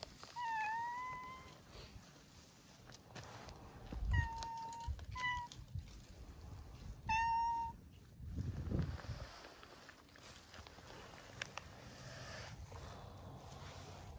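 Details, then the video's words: Stray tricolor cat met outdoors at night, giving several clear rising-then-falling meows, one long mew near the start, two short ones around four to five seconds and another at seven seconds, over low background rumble and faint traffic-like noise. "A tricolor cat meows"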